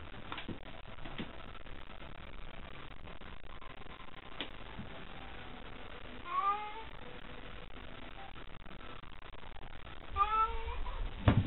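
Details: Two cats battling with tails puffed up at a nighttime cat gathering, a third scurrying nearby; long quavering yowls rise and bend in pitch, two separate wailing bouts several seconds apart, over constant low hiss and a closing thump.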